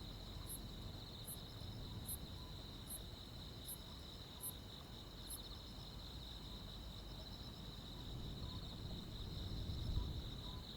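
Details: Countryside insects at night in high summer, mainly crickets, give a continuous buzzing trill with a short run of high pulsed chirps early on, fading out midway, over a low rumble.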